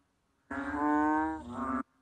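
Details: Banded bullfrog giving a single low, drawn-out moaning call lasting just over a second: a rich, buzzy, harmonic tone that holds steady, dips briefly near the end, then swells again before stopping abruptly. The background is otherwise quiet.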